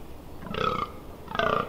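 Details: Fallow deer during the October rut in the Amsterdam Water Supply Dunes, Netherlands, recorded up close on 18 October 2021: two short, hoarse, belching groans about 0.8 seconds apart over a faint background hiss.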